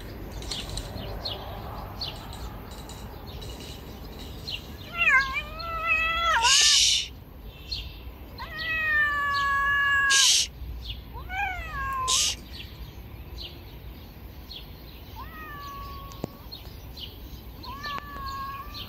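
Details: Stray cats on a river bank meow loudly while being fed: long wavering cries, some overlapping from more than one cat, broken by sharp bursts of rustling and clatter, then shorter, softer meows near the end.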